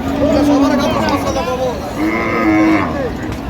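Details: At Raniganj haat in Dinajpur, a cow offered for sale with her calf lows twice: a short flat moo, then a longer level one about a second later. Market hubbub and men talking fill the background.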